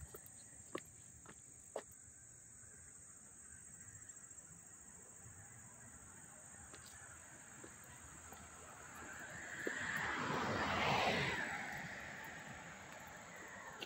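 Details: Crickets at Hastings-on-Hudson, NY, on August 13, 2024, sustain an even, piercing high trill without pause, a few sharp clicks near the start, and a passing car builds and fades in the second half.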